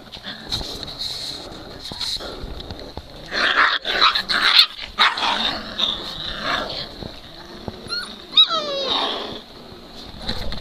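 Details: Great Dane puppies, three weeks old, playing together: ragged growling bursts build in the middle, followed by a brief high whine sliding downward near the end, all over a constant background hiss.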